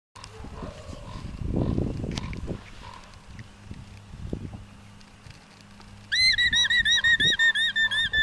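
After several seconds of low rumbling background noise, an alpaca breaks into a piercing, squealing alarm call. The high, nasal notes repeat about three times a second, warning the herd of a predator or intruder close by.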